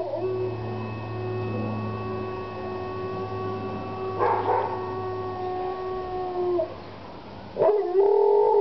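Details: A dog howling: one long, steady, sustained note with stacked overtones that lasts about six and a half seconds, then a short rising cry near the end, over a low constant hum.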